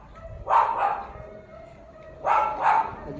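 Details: German Shepherd, 06.10.2025, letting out two doubled barks about two seconds apart, each a pair of rapid sharp woofs over a steady low background noise.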